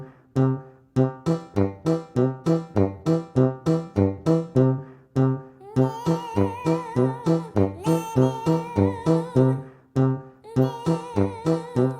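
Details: Rhythmic strummed acoustic guitar plays with a hummed, wavering vocal melody in the middle, and no animal sounds are heard.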